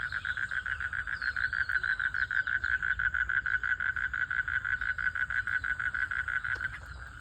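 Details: Frogs calling for mating in a village pond: a dense, fast pulsing chorus of rapid croaks, about four pulses a second, steady and loud throughout, with a faint high insect-like whine above.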